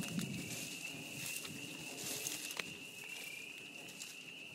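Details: In spring at a beaver pond, a loud, steady, high-pitched chorus of spring peepers rings out as a continuous shrill whistle.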